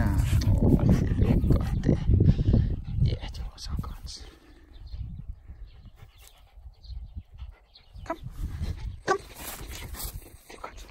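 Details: Angry pet dog disturbed while chewing on a mattress gives a loud, deep, rasping growl for the first few seconds, then quieter grumbling bursts, with a person speaking Spanish in the background.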